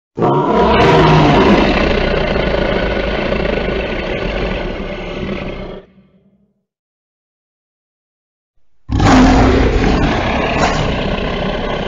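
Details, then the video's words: Lion roars in two loud, rasping bursts: a long, powerful, low, grating roar that slowly fades, a few seconds of silence, then another harsh roar starting abruptly. "Ruggito del leone"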